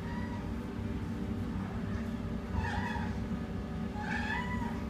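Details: Shy adult female Siamese cat awaiting adoption in a shelter utters a faint meow, then two longer, wavering, plaintive meows against a constant droning hum.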